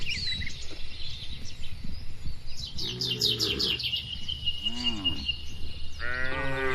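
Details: Cattle in a calm barn while feeding give several short, arching, harmonic moos, with one near the middle and two more toward the end, over steady high chirping from many small birds and low rustling.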